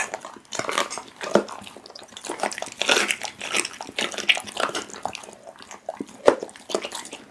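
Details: Raw meat being eaten by a pit bull, rendered as dense, sticky chewing and lip-smacking, bright wet clicks coming in quick succession with a few sharp snaps.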